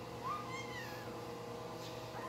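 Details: Newborn Shih Tzu puppy crying: a thin, high, tonal whine that rises quickly then slides slowly downward over about a second, followed by a short fainter cry near the end, over a steady low background hum.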